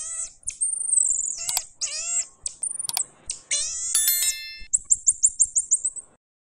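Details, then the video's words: Pygmy marmoset producing high squeaky cries and whistles, a few sharp clicks, then ending with a rapid run of about eight short, evenly spaced high chirps. "The voice of a pygmy monkey"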